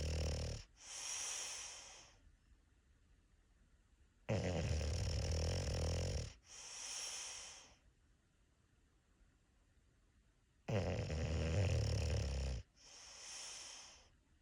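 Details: A sleeping English Bulldog snores loudly, each deep rasping inhale followed by a softer wheezy exhale.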